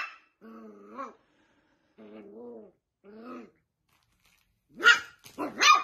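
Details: Dachshund pet giving three drawn-out, wavering whines, each about a second long, then a couple of loud harsh barks at the end.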